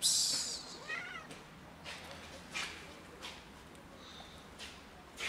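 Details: A big white cat and a black cat show their love for food on a cold day; one short, bending meow rises and falls near the one-second mark after a loud hissing burst, followed by soft scattered clicks.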